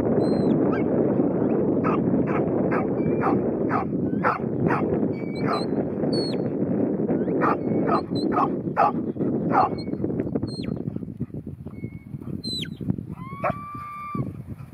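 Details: New Zealand Huntaway, a ten-month-old bitch named Ruby offered as Lot 121 for Skipton, barking in a steady run of short, sharp barks over a constant low rumble, with clear rising whistles heard near the end.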